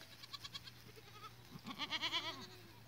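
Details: Goats recorded 14 April 2023: soft pulsed murmurs at first, then a quiet, shaky bleat of rapid tremulous pulses for about a second.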